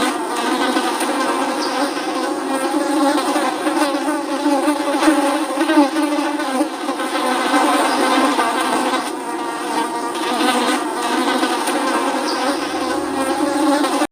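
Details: Housefly buzzing, the annoying sound of flies: a sustained thick hum with many harmonic bands, gently swelling and fading in places but never stopping.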